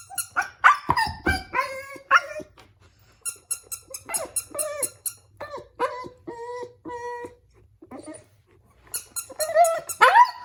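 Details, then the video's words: Crying Siberian Husky puppy reacting to a baby toy: sharp yelps, then a run of steady whining notes, and a final loud burst of cries, with a baby toy's chiming music throughout. "Husky Puppy crying to the Baby Toy"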